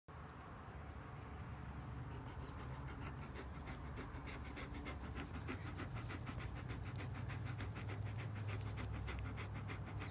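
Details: German Shepherd panting in fast, steady rhythm, roughly three breaths a second, soft and breathy throughout, over a constant low rumbling hum.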